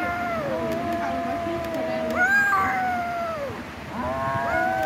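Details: Domestic cats in a fight, giving long drawn-out wavering yowls with rich harmonics, overlapping voices that rise and fall, one yowl sliding upward near the middle and another starting toward the end.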